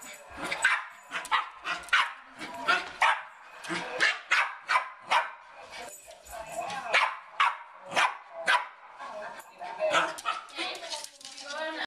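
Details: Excited Westie trying to reach a squirrel, barking in quick sharp bursts about twice a second, interspersed with higher whining yelps near the end and occasional human speech.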